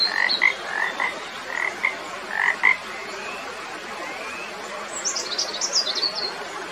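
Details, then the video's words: Frog calling in a relaxing nature recording: short, bright croaking notes repeated at roughly half-second intervals in the first three seconds, then quieter, with high chirping from other animals near the end. "Magical Frog Sounds"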